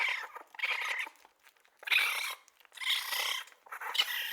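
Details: A baby raccoon makes three or four drawn-out, reedy whining cries, each roughly half a second long, nasal and slightly buzzy, with faint rustles between them.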